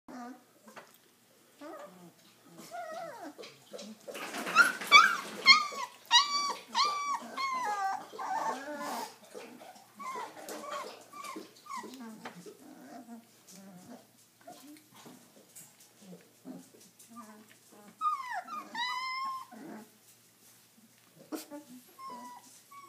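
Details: Redbone Coonhound puppies, three weeks old, whining and squealing indoors in a small room; high harmonic yelps arching and falling, bursts of overlapping cries with quieter grunts and shuffling between them.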